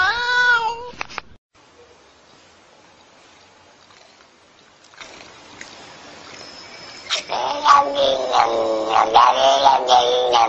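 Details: Domestic cat meowing: a short harmonic meow at the start, a stretch of faint hissy noise, then a loud run of wavering, rising and falling vocal calls over the last three seconds.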